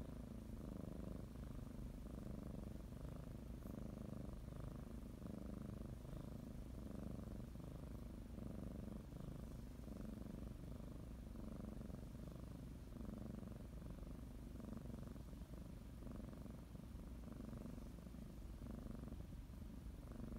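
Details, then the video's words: Domestic cat kneading and preparing for a morning nap, giving a continuous low, rumbling purr with faint breath-paced swells throughout and little else audible. "Sometimes you just need to listen to a kitty purr"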